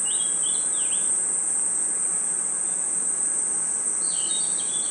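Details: Crickets and other insects chirping at night in a forest: a steady, shrill high trill runs unbroken through the whole stretch, with brief whistled, bird-like chirps near the start and again toward the end.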